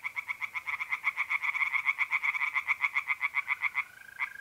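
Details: Singing tree frogs at a pond by night in mid-April, north-eastern Italy: a dense, quick-fire train of loud grating croaks for nearly four seconds, then a smooth steady trill of mole crickets remains.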